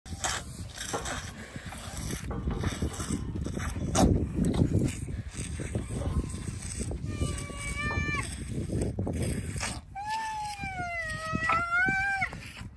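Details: Bula, an upset rhinoceros, voices his discontent at Peter getting an extra milk feed. After a stretch of low background rumble and handling noise come two drawn-out, tonal moans with rich harmonics. The later moan holds steady and then dips at its end.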